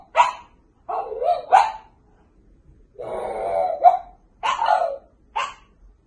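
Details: Indoor recording of a French bulldog puppy barking in short bursts, some doubled, with a longer whining, growly note in the middle of the run of barks.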